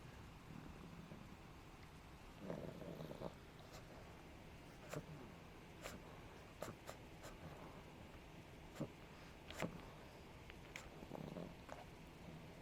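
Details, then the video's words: Adina, a five-month-old female pug puppy, reverse sneezing after suddenly running around like crazy, around 4pm on 9 May 2012. Quiet, rough nasal snorting bursts come near the third second and again near the eleventh, among scattered small clicks and low room noise. "Pug Puppy Reverse Sneeze"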